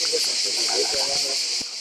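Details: Cicadas give a deafening, continuous high-pitched buzz in Mediterranean pine maquis by a small jetty below Capo Barbariga, Istria, on a summer kayak-camping trip, with a voice speaking underneath.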